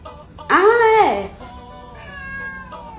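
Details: Domestic cat in a humorous 'talking cats' piece with Portuguese voice-over: one loud drawn-out meow that rises then falls over under a second, followed by a softer, steady tonal murmur and a human voice speaking.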